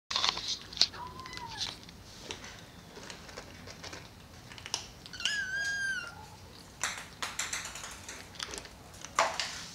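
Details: Maine Coon kittens of litter T, from Crocoon Stanis and the queen Kohun Bruna the Amazonia, being weaned onto solid cat food at a cattery: a thin high kitten mew around the fifth second, a softer brief mew earlier, amid clicks and clatter of feeding.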